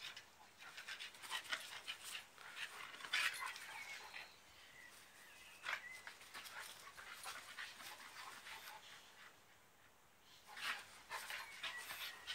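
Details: In a backyard, a 2-year-old malamute and a 10-year-old staffie wrestle in play, giving steady heavy panting, snorts and noisy scuffles in uneven bursts, with a quieter lull near the end.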